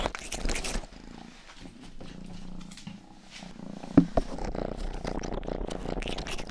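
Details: Rang-i, the youngest pet cat, grooms the ears of a 3Dio binaural microphone; a smooth low purr hums steadily between scattered licking rustles, with a couple of sharp clicks midway.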